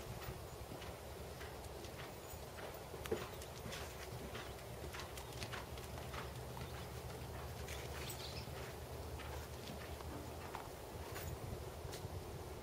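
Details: Black 16.2-hand Percheron/Thoroughbred gelding Tobias, aged 7, moving through a dressage session: faint repeated hoof clip-clops, one sharper knock near three seconds, set against steady low-pitched rumbling noise.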